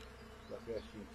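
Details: Brief close pass of honey bees foraging for pollen on thuja, two short swells of humming buzz rising over a low steady drone.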